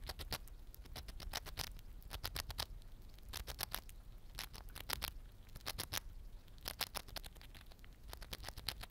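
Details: A pet Siberian chipmunk crunches on a small-animal egg biscuit snack in quick bursts of sharp, dry clicks.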